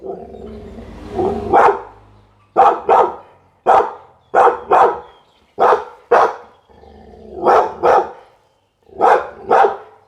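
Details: Barking Pit Bull giving single and paired loud barks spaced roughly a second apart, after a low rumbling start; mid-pitched, abrupt and forceful.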